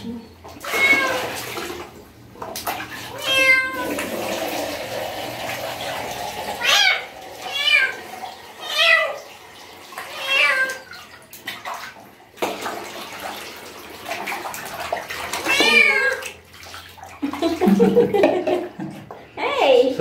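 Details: Street cat having its first bath, meowing again and again in short harmonic wails roughly every second or two, with sloshing water and pauses between bursts.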